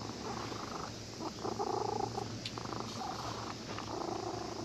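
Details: Cat that had been sleeping at a fishing port purrs happily while stroked by a child who came fishing; a steady low rumbling purr runs throughout, with a few brief tonal voices rising above it midway.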